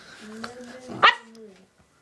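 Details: Boston Terrier dog that hates nail polish, indoors, gives a single sharp bark while a person keeps offering the polish, voice audible before and after.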